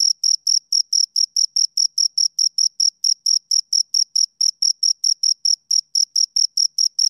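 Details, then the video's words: Two crickets chirping, a steady stream of short, high, pure pulses repeated roughly three to four times a second, with a fainter higher overtone and no other sounds. "Two Crickets Chirp Sounds"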